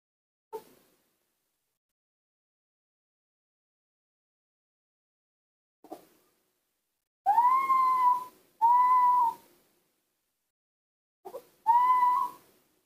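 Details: Newborn baby monkeys give clear, whistled cooing calls that rise and then hold steady, separated by soft clicks.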